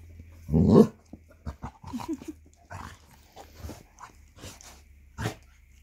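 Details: Three basset hounds, Millie, Percy and Angus, play-fighting in a game of bitey face after their morning meal indoors; a loud rough growling bark opens, then scattered grunts, snorts and muffled snaps as the dogs tussle.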